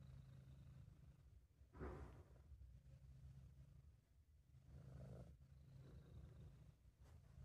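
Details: British Shorthair cat Sabu purring when relaxed and pleased: a soft continuous low rumble with breathy surges, one louder burst early on and another around the middle.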